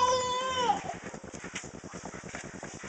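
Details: Piglet wallowing and being sprayed with water: a shrill, harmonic squeal lasting under a second that drops in pitch at its end, followed by steady rhythmic splashing and spattering of water.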